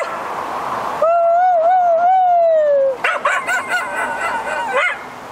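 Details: Delphi the Keeshond, a female dog playing agility in a British Columbia forest, holds a long, wavering high whine for about two seconds, then breaks into a rapid run of excited yips while her handler praises her.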